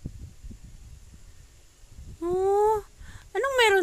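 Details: Domestic cat giving two drawn-out harmonic meows in the last second and a half, the first steady and slightly rising, the second starting high and sliding down; quiet room murmur and low rumble before them.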